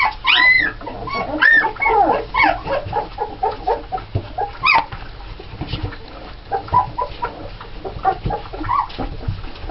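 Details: Litter of nine red Alaskan Malamute puppies born November 1st 2010, seven females and two males, giving a burst of high squeals early, then softer rapid chirping whines and small yips repeated about once a second.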